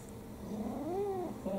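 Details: Domestic cat, a four-year-old brown tabby mixed-breed female, being affectionate indoors: one soft, low meow that rises and then falls, drawn out over about half a second, with a quiet human voice calling the cat's name before and after.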